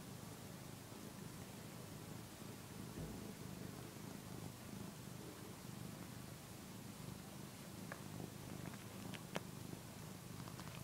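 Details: Continuous low, even purring from a one-year-old male cat suckling on a soft housecoat indoors, a habit he shows constantly with soft textures; light clicks and small rustles toward the end.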